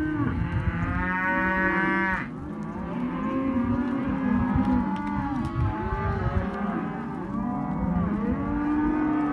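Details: Male and female Hereford and Caretas calves in sale lot 8; a loud, strained, higher bawl fills the first two seconds, then a dense chorus of overlapping, wavering moos from many calves follows.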